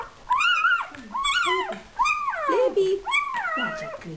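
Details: A talkative male puppy whines in a whelping box while a woman urges its mother to come feed him. The whines arch up and down and come about once a second, with her voice overlapping.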